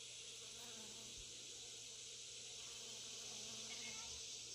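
Honey bees give a steady, soft buzzing hum under a bright, hissy wash of sound.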